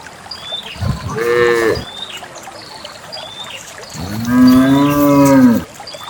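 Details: Cows herded along a path leading to a farm pen; a short moo, then a longer deep moo that rises and sinks, with birds chirping throughout the natural farm ambience.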